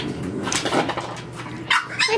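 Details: French Bulldog puppies playing indoors in a nursery: a few short, high yips and whimpers near the end, over a woman's talking and a low steady hum in the room.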